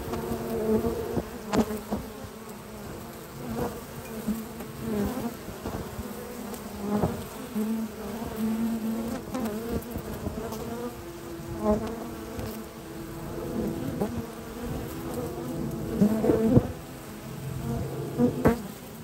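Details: Honey bee foragers bringing at least six different types of pollen into the hive on a spring morning at a research lab; a dense, steady low buzzing hum of many bees with brief louder passes of individual bees.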